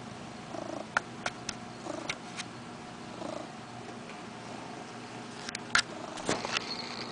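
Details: A 5-year-old male Ragdoll cat purrs close up while swatting at a string hanging from the camera: a soft steady rumble broken by sharp clicks and rustles.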